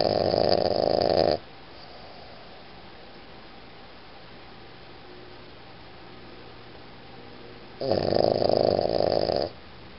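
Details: Iggy the Boston Terrier asleep and snoring: a harsh, rattling snore lasting over a second opens, then near silence, then another equally loud rasping snore about six seconds later.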